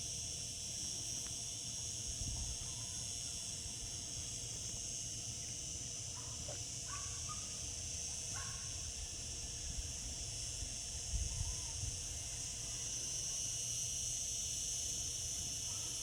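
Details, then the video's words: Cicadas droning through a summer day, their high constant buzz filling the air while a few brief faint chirps from another creature break in midway, over a low background rumble. "Cicada sounds, cicadas singing in summer."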